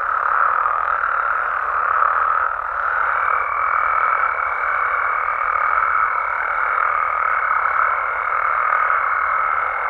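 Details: Mexican frogs and toads at night form an unbroken, humming chorus of overlapping croaks; from about three seconds a clear, level tone hangs above the din to the end.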